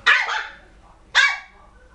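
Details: Poodle puppy giving two sharp, high yapping barks about a second apart, each bright burst fading quickly into a quiet room.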